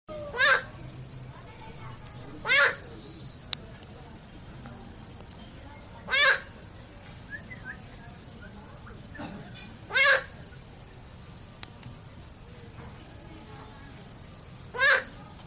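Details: A frog in a stream at night gives loud, harsh, nasal croaks, one at a time, spaced a few seconds apart.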